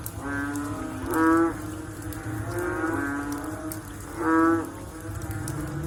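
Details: Frogs calling after rain: a dense chorus of low, droning, moo-like calls with rich harmonics, several voices overlapping, two louder calls swelling near 1.3 and 4.4 seconds over a steady background hum.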